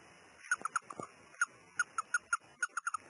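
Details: A male Russian dwarf hamster, taken out of his cage, gives a string of short, sharp squeaks at irregular intervals.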